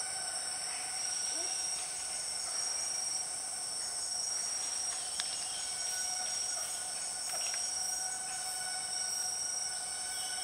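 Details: Empress cicada, the largest cicada species, known as a 6 o'clock cicada, in the Borneo rainforest: a faint, steady, whining tone with stacked overtones, and scattered ticking insect sounds in the jungle soundscape.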